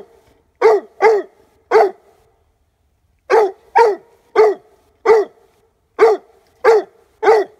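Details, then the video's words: Young Leopard Coonhound, five months old, treeing on a squirrel tail hide drag, giving strong, clipped barks: three in a row, a short silence, then a steady string of evenly spaced barks with a ringing tone. "Leopard Coonhound Treeing on Squirrel tail"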